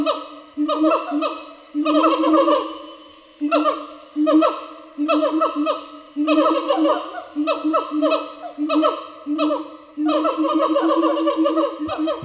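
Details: Gibbons, singing apes of Asia, in forest, their voices turned urgent as if passing news after something happened, unlike their usual calls. Bursts of hooting notes sliding up and down in pitch, overlapping voices in repeated groups about a second apart.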